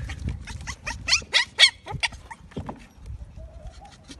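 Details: Maltese (Canis lupus familiaris), bark.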